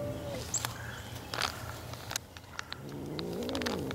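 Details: Feral cat filmed in 2017 or 2018: a low, steady purring rumble with scattered clicks and knocks, then a drawn-out, wavering meow that rises and falls over the last second.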